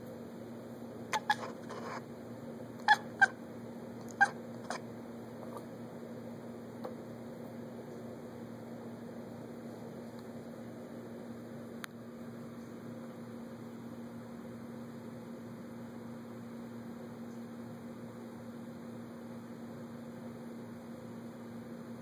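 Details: Olivia, a house cat eyeing squirrels she cannot get to, lets out a quick burst of short, sharp chirping calls in the first few seconds, then falls quiet against a constant indoor hum.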